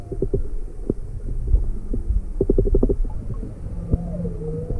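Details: Inquisitive juvenile humpback whale near its mother off Maui, February 17, 2020, approaching a boat with motor off: short pulsed clicks in quick bursts, brief tonal moans and a wavering whine near the end over low rumbling water noise.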